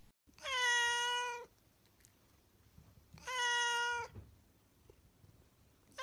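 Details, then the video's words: Domestic cat meowing twice, each a loud, steady, drawn-out meow just under a second long, spaced about three seconds apart, with the start of a third at the very end; quiet background. "Meowing cats"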